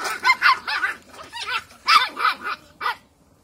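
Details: Cocker Spaniel puppies just under eight weeks old, wearing new collars, give a quick run of high, yappy yips and short whiny barks; recorded 31 August 2021.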